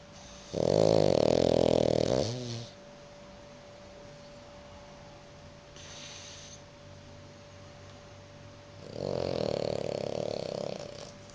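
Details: Two French Bulldogs asleep side by side on a sofa beside a man; loud, rasping snores lasting about two seconds, one near the start and another near the end, with quiet breathing between and a steady faint electrical hum.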